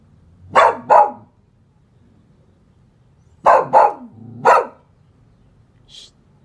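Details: A dog barks at home in Guadalajara, Jalisco, Mexico, on 18 August 2022, startling monarch caterpillars on milkweed. Two sharp barks come first, then after a pause three more, followed by a faint distant sound in a quiet room.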